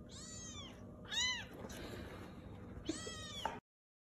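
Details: Domestic cat uttering three short, rising-then-falling meows with rich harmonics, the middle one loudest, against low background hum before the sound cuts to silence.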